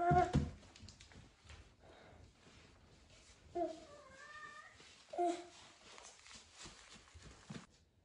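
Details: Norwegian Forest Cat indoors, greeting its owner coming home: two short meows with bending, rising-then-falling tones, separated by room noise and faint household sounds.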